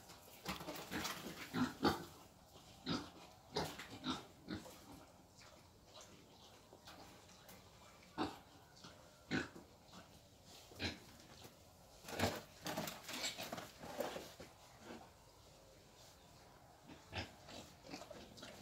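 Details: A wild boar led off for breeding in Vietnam produces bursts of rough grunting and snuffling, some clustered, others spaced a second or two apart, among scattered sharp taps and clatter.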